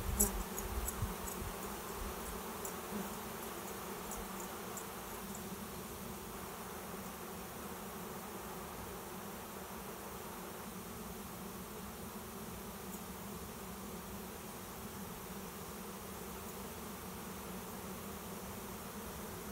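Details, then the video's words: Cloud of honey bees landing at a swarm trap behind a garage to take it as a new home; a continuous low droning hum holds level for nearly twenty seconds, a few soft taps at the start. "Swarm of honey bees finds new home"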